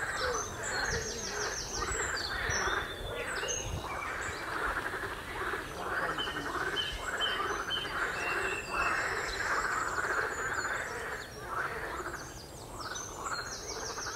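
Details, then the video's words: A chorus of frogs at the Royal Military Canal near West Hythe, rattling croaks repeating almost twice a second in uneven overlapping bursts, while high twittering birdsong runs through the background. "Frogs croaking on Royal Military Canal"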